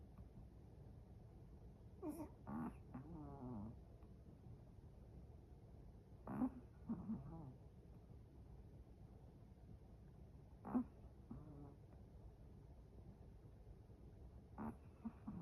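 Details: A Chihuahua asleep, snoring in a regular rhythm: a throaty, whistling snore roughly every four seconds, each breath breaking into a short wavering whine, with a soft steady room hush between.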